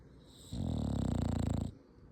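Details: Sleeping dog's snore: a single low, throaty, vibrating breath lasting just over a second, with fast even pulses, set against quiet room background.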